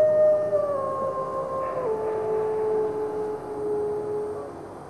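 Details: Endangered red wolves in captivity at the Wolf Conservation Center, South Salem, New York, howling among other resident wolves. Soft, fading howls descend in steps and then trail off as long, low, level tones.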